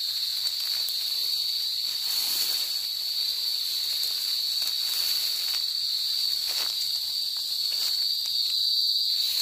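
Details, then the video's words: Cicadas, called kuliglig or duli duli in Bicol, singing in the countryside of the province: a steady, piercing high-pitched buzz drones on without a break, evenly loud throughout, with faint clicks beneath. "CICADA SINGING| KULIGLIG | DULI DULI IN BICOL"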